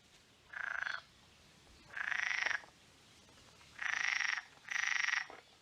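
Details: Unseen frogs, thought to be marsh frogs, give short rattling croaks in bursts of rapid harsh pulses from reedy water at Ham Wall and Shapwick Heath nature reserves, Somerset, on 11 June 2022.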